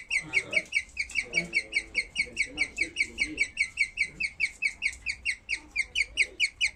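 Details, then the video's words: Skinny guinea pigs after giving birth, making bird-like sounds: rapid, high chirping squeaks repeated about two to three times a second in a steady series, with a woman speaking softly in the background. "Cobaya haciendo el sonido de un pajaro"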